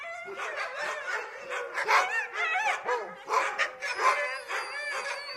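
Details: Several dogs barking at a gate in a dense, overlapping chorus of sharp barks and higher yelping, wavering cries, almost continuous for five seconds with no pause.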